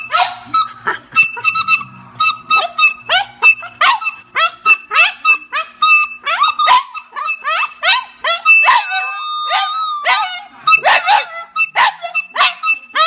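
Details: Singing French bulldog producing a continuous stream of quavering, descending yelp-howls in quick succession, some notes stretched and wobbling, over a thin steady tone in the background.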